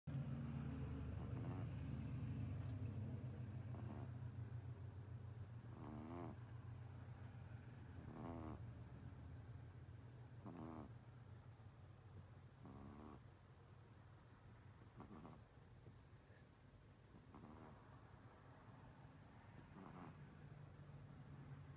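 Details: Jack, a 10-year-old male Russian Blue cat, snoring loudly while taking a nap; rhythmic raspy breaths roughly every two seconds over a steady low hum.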